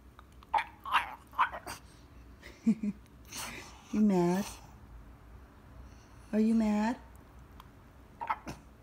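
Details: Demanding French Bulldog asking for his morning walk, indoors: two long, steady, moaning calls about two seconds apart, preceded and followed by short soft sounds.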